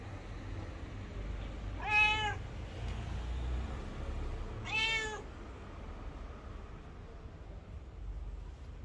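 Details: Abandoned street cat stopping a passer-by and asking for love. It gives two clear, strained meows about three seconds apart, each rising then falling. A low urban rumble runs underneath.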